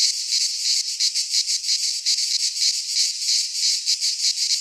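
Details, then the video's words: In a Greek pine forest at midsummer, cicadas sing a shrill rasping drone that swells and dips in fast beats, close to three per second, with nothing else audible. "Cicadas singing in midsummer"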